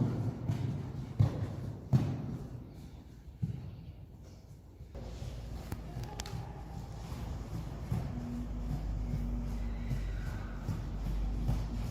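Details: Dull thuds and knocks in a large indoor space give way to a steady low hum with faint sustained tones, and no animal call stands out.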